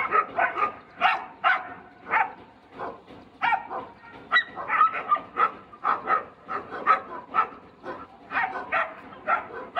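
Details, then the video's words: Dog barking at a horse: a rapid, steady run of short, sharp barks, about two each second, with some higher yelping tones mixed in and no other clear sounds. "Dog, barking, at horse"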